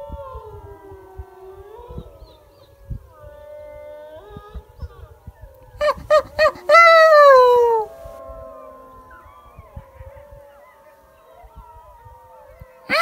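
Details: Wild wolf pack called in to close range by a hunter fishing a high mountain lake: overlapping drawn-out howls at several pitches, a quick burst of short yips, then one loud howl sliding downward, with faint howling continuing afterward.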